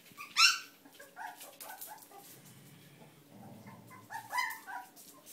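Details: Young Whippet puppies giving sharp, high-pitched squeals and short yelps, loudest at the start and again near the end, with softer whines and shuffling between.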